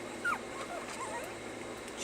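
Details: A puppy in stay training lets out a short high whine that drops quickly in pitch, followed by fainter wavering whimpers beneath a constant hiss.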